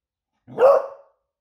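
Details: Single short, full bark from Smudge, a female Beagle, sounding the alarm at home because her owner is about to arrive back from surfing.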